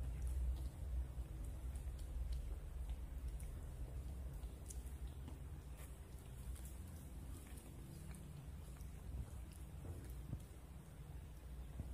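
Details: Steady low rumble with a rain-like hiss and faint scattered ticks, no animal voice audible.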